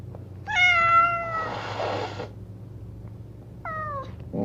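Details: Two angry cats in cages: a loud drawn-out meow with a breathy, hissing rasp after it, a pause, then a second shorter falling meow and the start of another cry.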